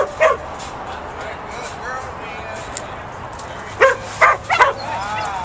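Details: Pit bull puppy barking while herding sheep: one bark at the start, then a quick run of three sharp barks near the end, with faint voices in between.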